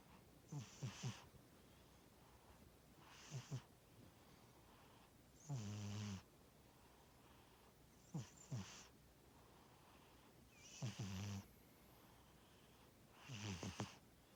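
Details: Cat named Tora snoring while asleep, a pet at home: soft breathy rasps alternating with low rumbling snores, about one breath every two to three seconds, quiet background between breaths.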